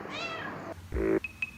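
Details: A pet cat meowing to wake its owner: a drawn-out, rich meow that falls away at the end. A steady low tone and two brief high beeps follow, with music in the background.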